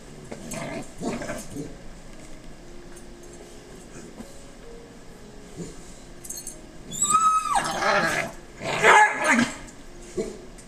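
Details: Two puppies, Niko and his best bud Lewis, at play: low growls and grumbles early on, then a sharp high whine sliding down near seven seconds, followed by loud yelping and scuffling bursts with faint background tones.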